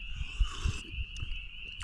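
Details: On a cool, crisp early-spring evening (Easter Sunday) as darkness falls at Lake Jean, Ricketts Glen, Pennsylvania, a loud dense chorus of spring peepers rings in high shrill peeps, with lake water lapping nearby.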